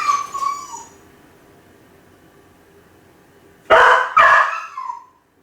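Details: Kai Ken Ichi crying out while left home alone: the fading end of a howl, a quiet pause, then two loud, harsh yelping cries close together, the last trailing off into a short whine.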